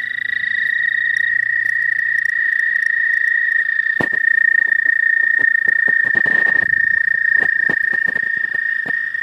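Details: Spring's first frogs, many of them, call from a pond. Their chorus makes a continuous high, even drone. Scattered clicks and handling knocks break in, with a denser patch of crackling midway.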